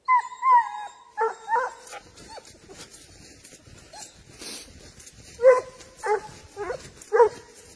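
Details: Spanish hound tracking wild boar, giving drawn-out baying cries near the start, then a run of short, ringing barks in its second half, with quieter yelps between and faint background noise.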